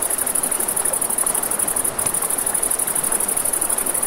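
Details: Night crickets beside a river give a continuous high, rapidly pulsing trill, beats coming many times per second, with the hiss of running water and a faint crackle of fire underneath.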